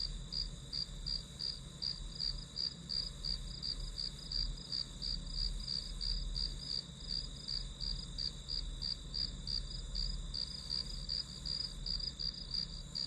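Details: Steady chorus-like chirping of grass insects for a study session, with evenly spaced high trills pulsing about three times each second over a quiet, humming low-frequency bed.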